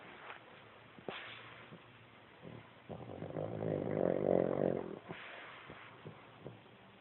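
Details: Sleeping Pug giving one drawn-out, buzzing snore lasting nearly two seconds, rising and then fading, framed by soft snorting breaths and small clicks.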